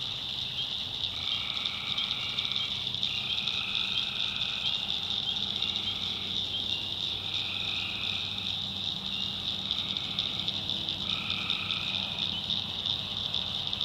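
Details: Many tree frogs calling at night in a North Carolina backwoods swamp: a bright, unbroken high chorus with lower calls surging in short repeated bursts roughly every two to three seconds, and a soft low drone underneath.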